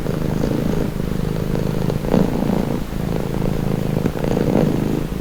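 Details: Steady soothing purr of a domestic cat, deep and throaty with a fast flutter, alternating inhale and exhale phases about every two seconds, the only sound present.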